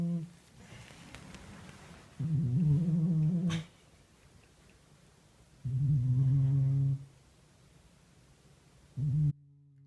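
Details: Domestic cat snoring while asleep indoors: low, droning snores about 1.5 seconds long, repeated roughly every three to four seconds, with quiet breathing pauses between them.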